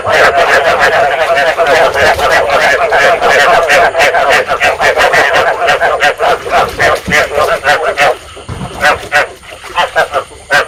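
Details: Rice field frog chorus meant to stimulate breeding and draw frogs to a trap. Loud, fast, pulsed croaking from many callers fills the first eight seconds, then thins to scattered separate croaks.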